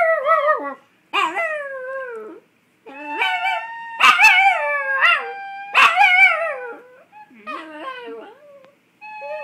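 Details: Chihuahua singing along to a recorder: long wavering howls with rich harmonics, sliding up then drooping, in several bursts separated by short silences, with a few sharper yelping onsets and a steady tone near the end.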